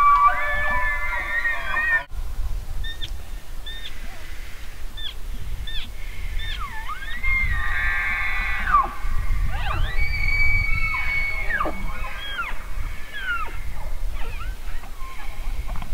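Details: Bugling elk: a series of high, squealing whistles that swoop up and bend down, some short and some drawn out, scattered irregularly through the recording over constant low rumbling wind.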